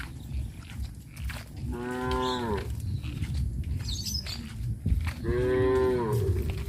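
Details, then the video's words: Cows moving leisurely around a village give two clear moos, one near two seconds and another after five, each rich and evenly pitched, with low background rumble and brief higher sounds between. "Tame cows roam leisurely in the village - Sound of cows"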